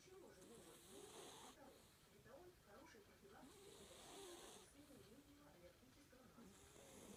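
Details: A cat asleep and snoring, each drawn breath a hushed rasp rising and fading about every three seconds, irregularly spaced, over a low murmur of background noise indoors.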